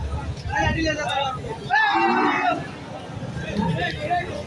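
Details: Cattle at the Chouara cattle market in 2024 before the Qurbani Eid; a drawn-out, harmonic moo rises over lively crowd talk and bargaining voices.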